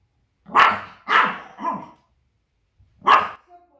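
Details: Pomeranian, a small spitz, barking at outside noises to defend its territory and warn of uninvited guests: four loud, ringing barks, three in quick succession, then a pause and one more.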